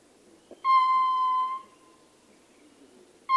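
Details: Male ring-tailed lemur recorded close up, giving a single steady, tonal howl with rich harmonics that lasts just under a second, then silence before a fresh call begins at the very end.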